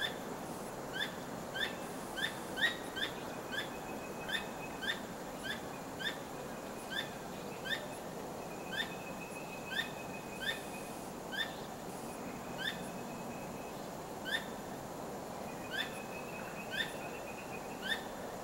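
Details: At night a squirrel keeps up a long series of brief, sharp rising chirps, roughly one each second, while its tail wags nonstop; a thin steady high tone drifts in and out behind the calls.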